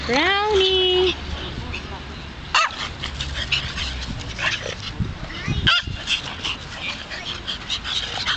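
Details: Dogs, a French bulldog and a small chihuahua wearing a tracksuit, in Malta. High whining calls slide then hold level during the first second, followed by a quieter rustle with clicks and a few short yips.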